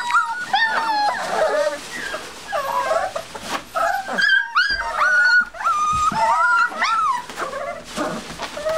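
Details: Litter of seven-week-old Olde English Bulldogge puppies gathered in a puppy box, a chorus of squeaky, bending whines and yelps overlapping one another, with brief gaps of near silence between bursts.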